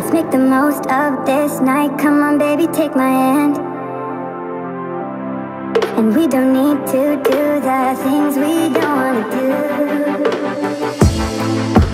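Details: Loud melodic music with singing and instruments throughout, no animal sound heard.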